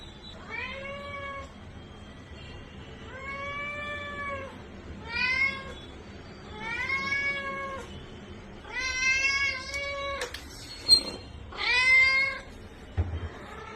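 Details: House cat, from a collection of its meows from kitten to adult, calling seven times at intervals of one to two seconds. The meows are short and arched, growing louder and more strained toward the end, with a brief clatter in the middle.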